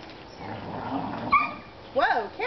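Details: Whippets Chippy, Chase and Viola at play; one gives a high, harmonic whining yelp that rises and falls, preceded by a shorter yip, over a soft background hum and a quick spoken exclamation.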